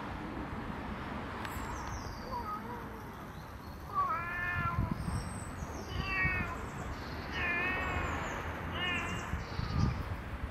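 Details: Domestic cat outdoors, one of two cats, a friendly black cat and an unfriendly one; four short, wavering harmonic meows from about four seconds on, spaced roughly every one and a half seconds, over steady rural background hiss and faint bird chirps.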